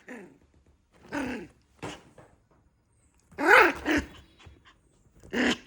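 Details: Puppy letting out rough, growly barks and harsh yips in short bursts, the loudest a grating bark near the middle, indoors in a small room.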